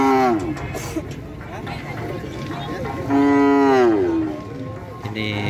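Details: Cattle at a karapan sapi bull race in Gulbung. A loud, rich, harmonic moo swells and falls, lasting about a second. A shorter bellow opens the recording, with voices and faint music around.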